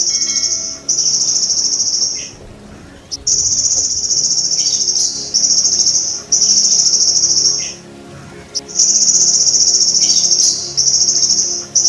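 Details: Golden grasshopper recorded as tutor material for training kept songbirds: a high, shrill, steady buzz in long bursts of one to two and a half seconds, broken by brief silences, over a faint low background hum.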